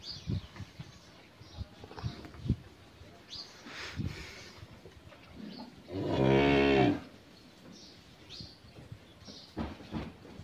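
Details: Friesian heifer calf, 13 months old, on a dairy farm in Pabna, Bangladesh, gives a single loud, rich moo lasting about a second, steady in pitch, over a background of small birds chirping and faint low voices and rustling.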